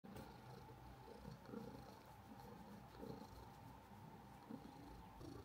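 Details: Domestic orange cat purring steadily, a low continuous rumble with faint rhythmic pulsing, recorded close up indoors with a pocket camera and clip-on microphone.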